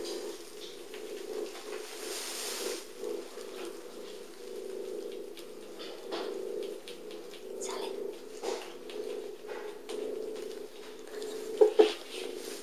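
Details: A continuous, rhythmic, rumbling purr from Sally, a small patchwork-furred cat taken in after being abandoned, now waiting for adoption at North London Cats Protection. The steady hum pulses evenly throughout, with a couple of sharp taps near the end.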